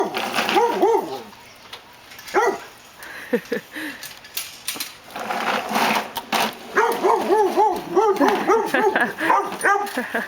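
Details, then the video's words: A pet dog barking at a lawn mower that is not running; a rapid run of barks with clear gaps, then a dense burst of repeated barks in the last few seconds, with some background noise and rustling. "My dog hates the lawn mower"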